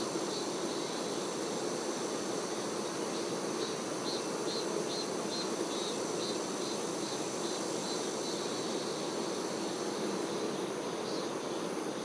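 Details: Honey bees, workers caring for the queen, fill the air with a steady dense buzz. A series of faint, quick high chirps runs through the middle of the recording.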